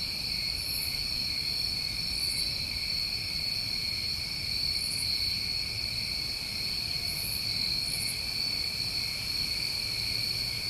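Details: New England crickets on a summer night, a continuous shrill, ringing chorus with no pauses, high faint chirps breaking through every second or two over low background hiss.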